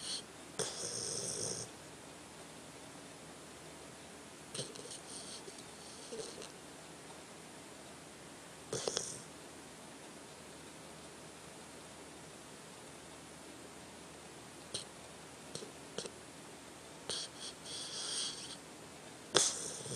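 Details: Tucker, a pet dog, snoring while asleep: long quiet stretches broken by short, scattered bursts of breathy, rasping snorts and snuffles, a few louder ones near the end.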